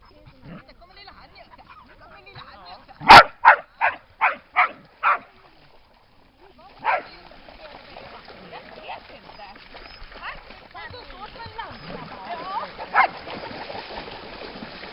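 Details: Lakeside dog at Lida Nature Reserve on a summer day barking a rapid run of about six even barks, then quiet, then splashing water and voices with an occasional further bark.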